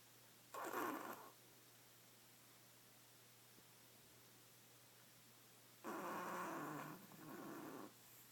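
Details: Noisy snoring from a sleeping badger, two rough rasping breaths several seconds apart, the second longer and trailing into a softer follow-on rattle, with near silence between them.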